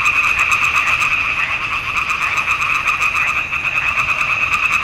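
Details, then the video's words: Pond frogs in a swamp chorusing in June 2021, recorded on a Nikon D780. Loud, continuous rattling croaks overlap into a thick two-toned drone with rapid pulses, steady throughout. "Il canto delle rane in palude"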